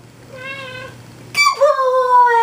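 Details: Pet cat meowing on cue while its owner sings "If You're Happy and You Know It" indoors: a short, soft harmonic mew, then a louder, drawn-out meow that falls slightly in pitch and trails off, over a low hum.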